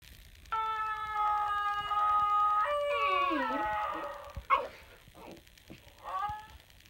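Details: Female basenji singing along to her own yodel: a long steady tonal note held about two seconds, then a wavering, sliding yodel that dips and falls, followed by short yelps and a soft rising whine.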